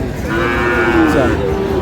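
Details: Sahiwal breed bull calf in Sylhet, where a farmer is buying calves on 22 May: a single steady, harmonic-rich moo about one second long, set against murmuring voices and market noise.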